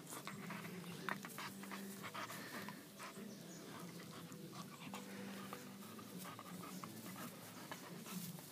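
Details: Five-month-old American Pit Bull Terrier Aika, about 40.5 pounds, breathes in steady rapid pants with soft whining tones now and then, low human voices murmuring behind her.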